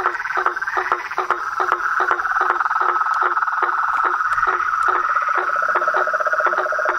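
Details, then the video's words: Toads and frogs calling together in nature. A constant ringing trill fills the background while lower, knocking croaks repeat irregularly, about two to three each second. "Os sons dos sapos , rãs e perereca na Natureza"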